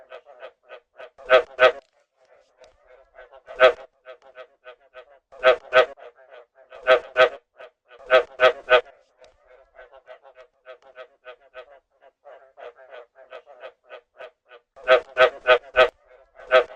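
Frogs calling in quick pulsed trains, with louder rattling bursts breaking in every few seconds.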